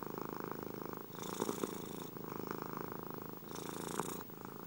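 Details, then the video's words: Domestic cat purring steadily, a dense, rapid low rumble that swells and fades with each breath, brighter hissing phases around one and four seconds; no other sounds. "30 min de RonRonthérapie pour dormir comme un bébé grâce aux ronronnements des chats"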